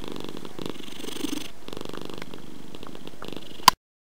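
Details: Purring domestic cat giving a soft, continuous low rumble, ended by a single sharp click before silence.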